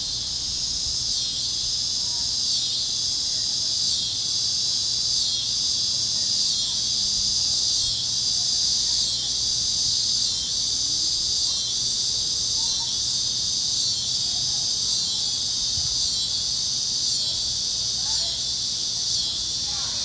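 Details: Kansas fields at sunset on a warm evening carry a loud cicada chorus, a bright unbroken high buzz pulsing gently about once a second, with faint scattered calls of other critters in the background.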